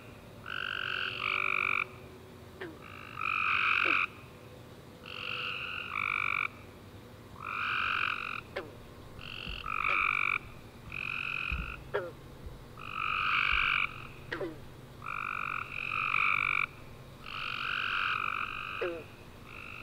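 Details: After a warm rainy summer day, tree frogs keep up a steady nighttime chorus of short buzzy trilled bursts, roughly one per second, punctuated by faint high clicks and low thumps.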